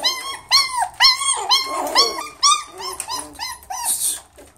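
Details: Miniature Schnauzer, poodle and Chihuahua mix puppies indoors, giving a rapid series of high, whining yips that rise and fall, about two per second, in overlapping bursts, with a brief hiss near the end.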